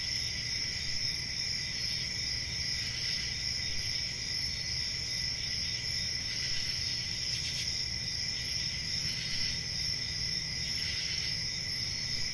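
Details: Country summer night chorus of crickets, several high shrill trills sounding together without pause, some swelling briefly louder, with soft low background noise throughout.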